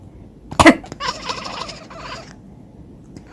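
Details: Responding to a cough, a cat lets out a rapid gobbling chatter, a rattling string of quick clicky chirps lasting over a second right after the single cough.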